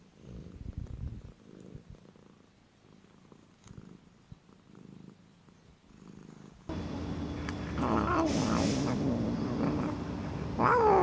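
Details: Domestic cat heard as one of several odd cat noises: soft pulsing purr for about six seconds, then an abrupt cut to a louder, busier scene with background noise and brief higher tonal sounds.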